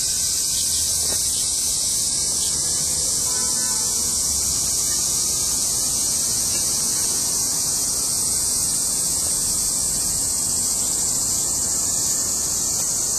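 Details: Dense cicada chorus in August 2008: a steady, loud, hissing drone held high and unbroken for the whole stretch, with faint low background rumble underneath.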